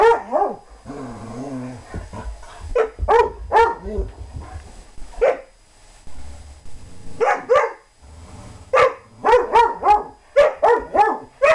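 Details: German Shorthaired Pointer playing and chasing another dog, giving sharp yelping barks in irregular bursts, with quick runs of several barks separated by short pauses.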